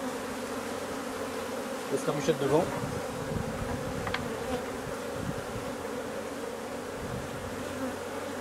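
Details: A drone-laying honey bee colony being replaced, its massed bees humming steadily and evenly throughout, with a brief human voice near the start.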